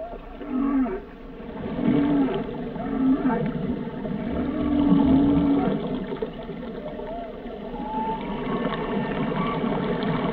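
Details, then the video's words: Whale song with low moaning tones near the bottom of the range, short wavering units rising and falling, several louder swells across the stretch over a steady watery hiss. "Song of the Whales"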